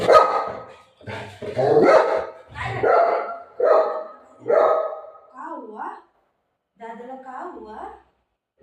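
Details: Shih Tzu dog playing with its owner, giving a run of short harmonic barks in quick succession, followed by wavering whine-like sounds, with a woman's Marathi speech coaxing and offering treats.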